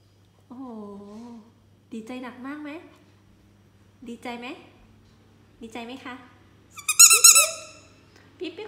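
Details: Pomeranian Yorkie dog indoors giving a string of drawn-out, wavering whines and yowls, each about a second long with short pauses between them, ending in a sharper, higher yelp.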